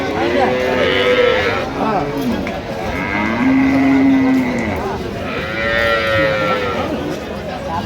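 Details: Dairy cow of an improved breed, with calves at Ambari Haat cattle market, Dinajpur, 16/11/25: a clear, drawn-out arched moo lasting over a second stands out, with fainter bellows and market voices before and after.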